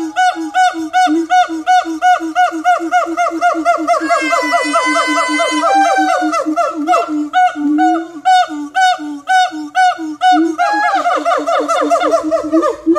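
Siamangs give loud, rapid series of harsh, ringing barks and hoots, rising into a higher sustained wail.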